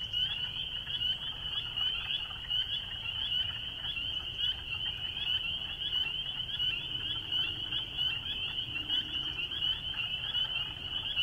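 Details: Dense spring peeper chorus: countless shrill, high peeps overlapping into a steady ringing din, with a soft low rumble beneath.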